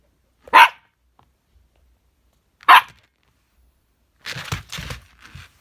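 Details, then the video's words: Two female dogs, a husky and a chihuahua, playing indoors in a small room; two sharp barks about two seconds apart, then a woman's calming voice. "хаски и чиха - серьёзный разговор."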